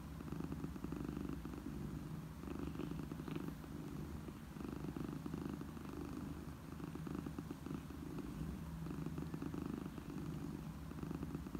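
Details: Domestic cat, a mother cat purring to soothe orphaned kittens; steady low rumbling purr with rhythmic pulses, swelling and easing in gentle waves with each breath, continuous throughout.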